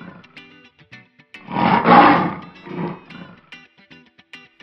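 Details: A lion gives a short, harsh roar that rises and then fades, followed by a weaker second burst. Plucked-string music plays throughout.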